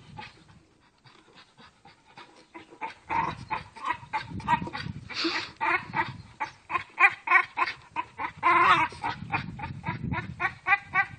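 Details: Pet Staffordshire Bull Terrier at play with a tire, breathing hard in fast rhythmic pulses, about three or four a second. Each pulse has a hoarse, voiced, almost grunting tone, and the pulses grow louder and more strained as play continues.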